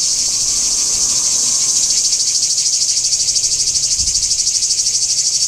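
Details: Cicada chorus recorded in Kardamyli, 2013, a dense high-pitched rasping drone pulsing rapidly and evenly, with a faint low thump near the end.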